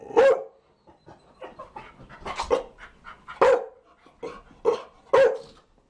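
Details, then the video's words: A Chow Chow lets out a string of loud, abrupt barks, about six strong ones mixed with quieter grunting and huffing sounds in between, in a dense run over six seconds. "Chow Chow barking"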